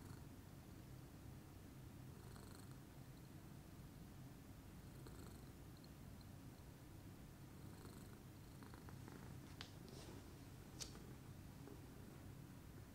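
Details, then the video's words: Low, steady rumbling purr from Pudding, a lilac Scottish Fold, relaxing in the morning; the continuous purr runs unbroken, with a few light taps and rustling noises near the end. "calming purr meditation by pudding"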